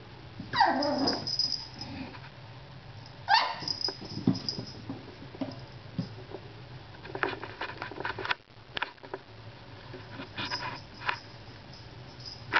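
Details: Pixie, a pet dog indoors, barking when the cat ignores her: two short, high, sharp yapping bursts near the start, then quieter tapping and rustling in a small room.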